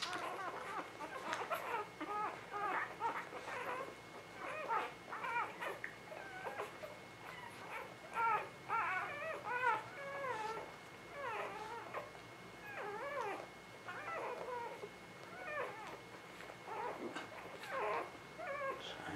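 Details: A litter of newborn puppies whimpers steadily in spring 2017, with many short wavering, bent squeals of mid pitch, often in quick runs, overlapping one another, over faint background rustle.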